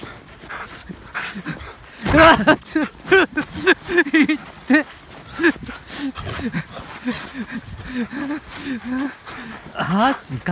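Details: Husky in rough, boisterous play with its owner; rapid series of short guttural barks, grumbles and panting yowls, a loud burst early on, with laughter and people talking around it.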